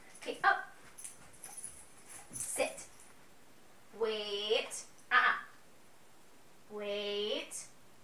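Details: Sophie, a 10-month-old Weimaraner practising tricks indoors, recorded on a phone: drawn-out whiny whimpers with wavering harmonic tone, two longer ones around a second each, amid a trainer's spoken commands and praise.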